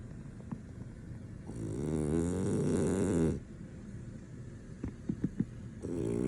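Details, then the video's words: Sleeping male French Bulldog that nothing can wake: one long, rough, buzzing snore of nearly two seconds, then quiet with small snuffling clicks before the next snore begins. "French Bulldog snoring, nothing can wake him up"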